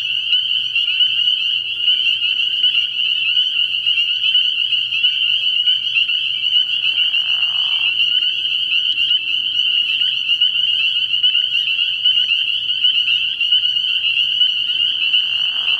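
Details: Spring peepers calling en masse from a frog pond at night early in the year, a steady, shrill, high ringing of countless peeps throughout, broken only by a short lower raspy trill from another frog midway.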